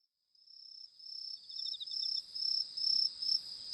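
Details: Crickets chirping in the dark while fireflies fly, a high steady trill broken into quick pulses, rising in loudness after a near-silent start, with a second softer pulsed voice slightly lower.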